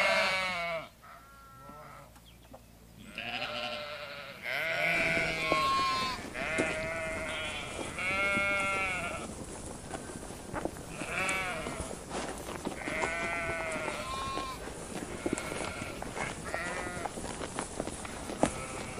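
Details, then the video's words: Sheep bleating again and again: wavering, nasal bleats with rich harmonics, several overlapping voices calling every second or two, after a quieter opening few seconds with a low steady hum. "SHEEP SOUNDS"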